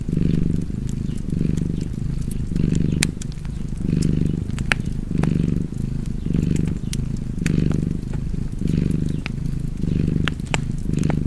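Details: Domestic cat purring beside a crackling fireplace, cozy ambience: low rumbling purr pulsing in steady breaths roughly every half second to second, with sharp fire crackles and pops scattered throughout.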